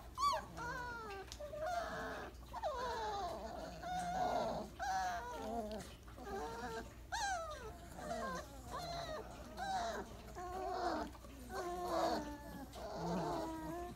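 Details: Weimaraner puppies at day 28, heaped together for a nap after breakfast, give a steady run of squeaky, wavering whimpers and yelps, many overlapping, some sliding up and down in pitch.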